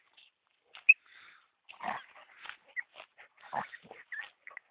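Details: Tornjak, the Bosnian shepherd dog, from Vlašić: short whimpering and yipping sounds in bursts, some higher squeaks and a few lower grunting notes, with brief pauses between.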